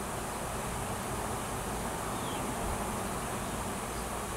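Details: Wild honey bee swarm clustered at a tree on a farm in Washington, a new queen having left the nest with many workers to seek a new home; a steady, dense, low droning hum fills the air without break.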